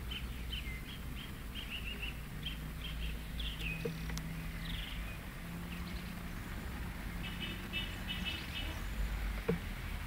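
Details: Guinea pigs in a back garden give a run of short, high squeaks in rapid clusters, some rising and sliding, over a steady low outdoor rumble.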